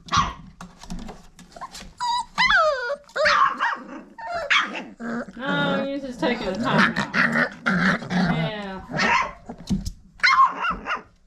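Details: Abby and Ragnar's Old Family Red Nose Pit Bull puppies at five weeks, taking a break from rough play: scattered high whines and short yelps mixed with low grumbling, under a person's laughing, affectionate talk.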